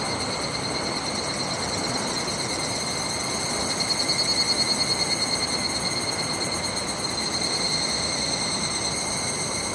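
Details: Kataigawa river, 1 August 2021: an evening cicada's shrill ringing call, a steady high tone with overtones beating about three times a second, swelling in the middle, set against constant flowing-water noise.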